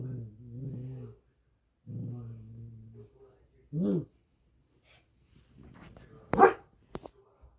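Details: Pet Maltipoo puppy grumbling in long, low, wavering moans, followed by a short, sharp bark-like yip, then some faint voices and a couple of clattering knocks.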